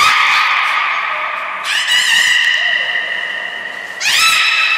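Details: Port of Nagoya Public Aquarium, 13 April 2019, training session with the beluga Nana. Bright, buzzy, harmonic squeals are held steadily, each new one starting with a quick upward sweep, three in succession.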